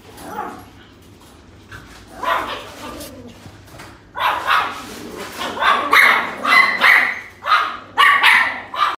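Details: Young female dog barking in quickening high yips that grow louder and closer together toward the end, with faint background voices.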